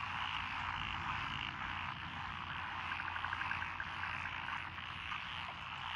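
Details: Frogs calling from lotus paddies on a country lane in Echizen, Fukui, Japan, 12 June 2021: a mixed-species croaking chorus with a short run of quick evenly spaced clicking notes midway, over a steady low hum.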